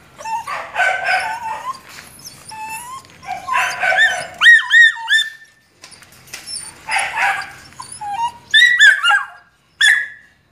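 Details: Male Belgian Malinois in Duron colouring, from a breeding kennel. Bursts of harsh barking alternate with high, bending yelps and whines, some in clustered runs of three or four, separated by short pauses.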